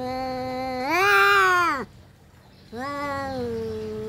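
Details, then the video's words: Domestic cats fighting: a drawn-out harmonic yowl that rises, holds strained and wavering, then drops off, a short silence, then a second lower, steadier moan begins. "kucing berantem"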